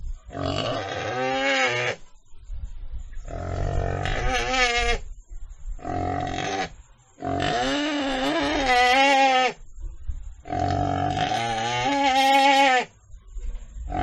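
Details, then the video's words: Pig uttering five drawn-out, nasal, quavering squeals of one to two seconds each, spaced by short gaps, the pitch wobbling within each cry. "Animal Sound: Sound Of Pig - 豬的聲音 [ Suara Babi ]"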